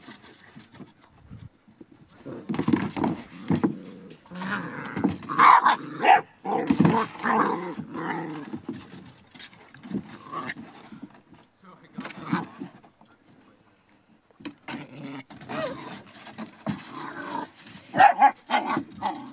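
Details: Border Collie puppies from a home-raised litter, 7½ weeks old, giving scrappy growls and short yips in irregular bursts, louder around the middle and near the end, with quiet gaps between.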